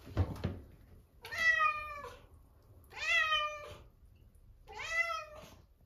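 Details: Ginchan, a lively young female cat, during her first bath: three drawn-out, slightly falling meows about two seconds apart, each rich in harmonics, with a brief knock at the start in a small room.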